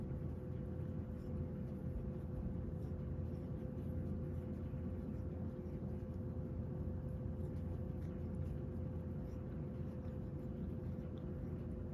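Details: Low, even hum of distant traffic and a steady tone throughout, quiet and unbroken, with no animal sound.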